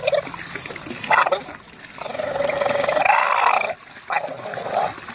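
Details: An English Bulldog that fell into a hot tub and cannot get out grumbles in drawn-out, throaty moans while swimming and diving, over splashing and trickling water.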